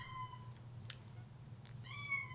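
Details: Female domestic cat meowing indoors to get her owner's attention during a podcast recording: two drawn-out, slightly falling tonal meows separated by a pause, over a low steady room hum and a brief click.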